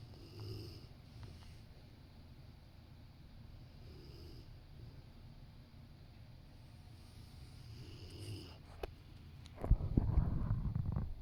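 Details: Rottweiler dozing on the sofa next to its owner lets out quiet, low snoring breaths every couple of seconds, followed near the end by a sudden loud rustling and shuffling movement.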